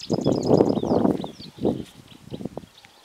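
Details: Splitnose, leader of the Gomondwane male lion coalition, roaring for his brothers in their hippo pools territory in Kruger National Park: a loud, deep, rough roar that breaks into shorter, fading grunts, with small birds chirping high above.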